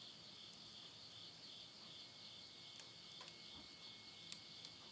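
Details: Continuous high-pitched insect chorus at the end of summer, midnight in rural Yurihama, Tottori, Japan, September 2020, unbroken trilling drone with occasional soft pops of burning wood nearby.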